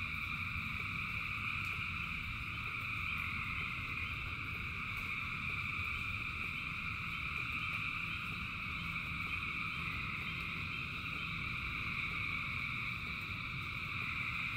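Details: A massed frog chorus during rain: many overlapping callers merge into a continuous shimmering drone at several pitches, while steady low rain noise fills the background.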